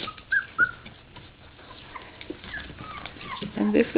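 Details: Puppies three weeks old from Sofia's third litter cry piteously after getting out of the nest: thin, whistled whines repeat a few times, then a louder squeal near the end, with a woman speaking over them indoors.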